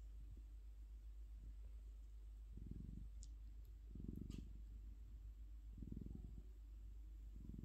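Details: Orange cat asleep, purring in low rumbling pulses every one to two seconds, with a few faint clicks between them.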